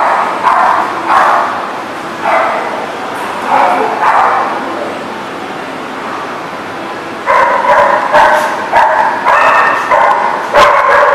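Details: Several dogs bark on 30 March 2018: scattered barks for the first half, then a rapid, nearly continuous run of overlapping barks from about seven seconds to the end.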